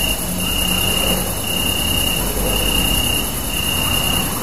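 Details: Crickets chirp at night under a super moon, giving a steady, high, shimmering trill over a constant background hiss.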